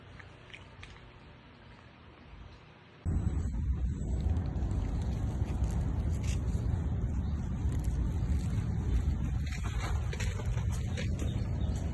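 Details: A quiet low hum jumps after three seconds into loud, steady rumbling noise, like a running vehicle, with some faint higher clatter.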